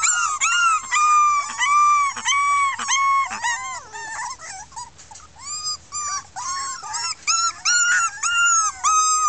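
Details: Litter of six red female Miniature Pinscher puppies from 2013, voicing discontent after tasting freedom: loud arched whines repeating roughly every half second in overlapping bursts, each rising then falling, with a brief quieter break midway.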